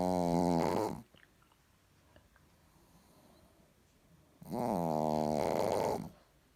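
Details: Sleeping Chihuahua named Richard lets out two sustained droning snores, each over a second long with a strong hummed tone that bends slightly, with a quiet pause of about three seconds between them.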